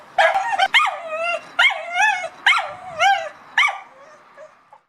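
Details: Dog barking at a cat: about six sharp, strained barks in five seconds, each sliding into a short whiny, wavering tail, spaced irregularly and trailing off into softer whimpers at the end.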